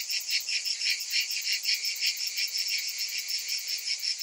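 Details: High, sizzling buzz of summer cicadas, pulsing quickly in uneven throbs around three or four a second, alone against silence below.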